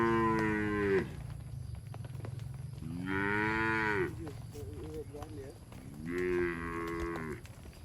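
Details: Herded cattle driven through forest toward their shed, jumping happily; three long, deep, droning moos about three seconds apart, each swelling then falling away, over steady low rumbling background.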